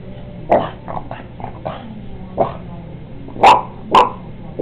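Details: A female Boston Terrier barks at a painting of another dog as a puppy, giving short, sharp barks in irregular bursts, with a couple of louder ones near the end.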